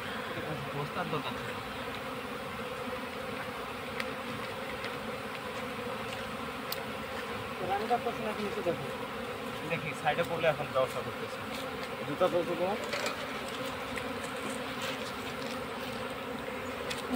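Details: Honey bee colony being caught into a hive box while people call for smoke; dense, steady droning hum with a low humming band, broken by brief voices and handling noises partway through.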